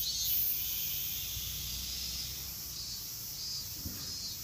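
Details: Japanese cicada chorus known as semi-shigure, a continuous chorus likened to a shower of rain: a steady, unbroken shrill buzzing high in pitch, held at an even level throughout with no pauses and no other clear sounds.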